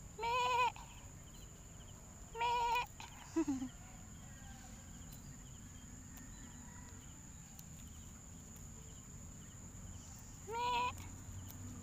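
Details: Hungry goat kid calling in three loud, nasal bleats spread across the stretch, each short and harmonic, with a brief low grunt after the second and long quiet gaps over a constant high-pitched hum.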